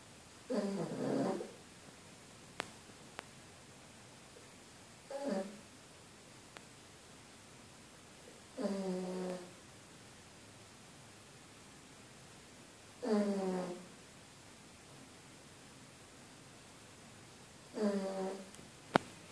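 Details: A female pug sleeps and snores: five rough, buzzy breaths come about every four seconds, each a short harmonic rasp. The room is quiet between them, with a few faint clicks.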